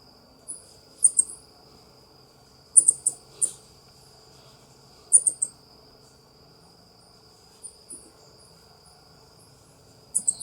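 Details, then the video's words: South American coati, also called ring-tailed coati, calling: bursts of two or three very high, sharp chirps recur every second or two over a steady high insect-like whine and a faint low hum. "SOM DO QUATI"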